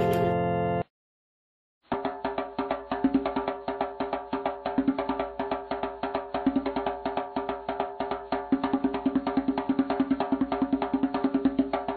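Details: Rhythmic percussive music with wood-block and drum beats plays steadily after a brief opening burst and a one-second gap of silence.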